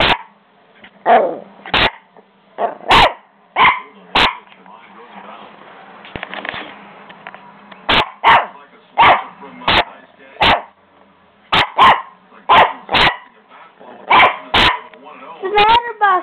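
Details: Buster, a small puppy, freaking out at home: sharp broadband barks in irregular bursts, about sixteen in total, with a pause midway and a voice talking quietly between them.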